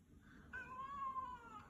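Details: Pet cat greeting its owner arriving home: a drawn-out harmonic meow starting abruptly, holding steady then gently falling over about a second, preceded by a faint softer note; indoors, quiet background.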